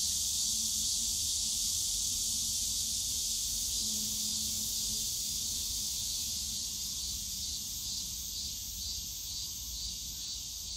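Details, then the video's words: Loud summer cicada chorus in Yongsan Family Park's bamboo grove, a continuous piercing buzz with gentle rhythmic throbbing, plus a faint low hum from the park in the first half. "용산가족공원 대나무숲 매미소리"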